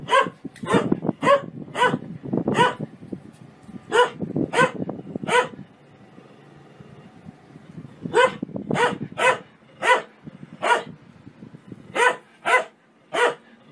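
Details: Dog barking out loud for fun: rapid repeated barks over rustling and low noise, a short lull, then a second run of evenly spaced barks.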